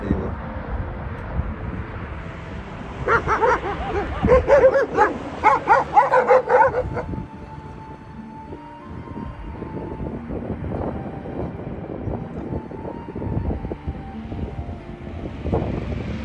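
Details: Sheep-flock guardian dogs meeting a local mongrel in hill country, a quick run of sharp harmonic barks for about four seconds, then quieter yips and whimpers over outdoor background noise.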